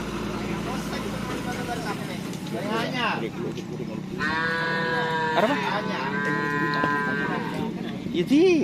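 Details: At karapan sapi bull-racing practice at Asemanis field, Pamekasan, Madura cattle give a sustained, rich moo lasting about three seconds over steady crowd noise, engine rumble and voices.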